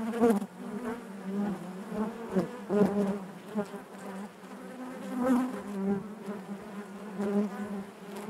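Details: Honey bee colony in its hive producing a steady drone, punctuated by irregular louder buzzes of individual bees flying close every few seconds.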